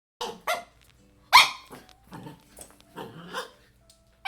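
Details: A 6-month-old Shiba Inu gives short, sharp yips and barks while fighting an empty Pringles can, between bursts of rattling and scraping.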